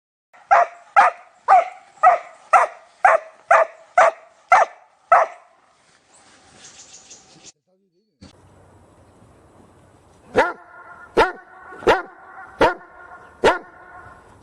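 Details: Dog barking: a steady run of nine short barks about half a second apart, then a quiet pause, then a second series of ringing, squeaky-toned barks repeated roughly every seven tenths of a second.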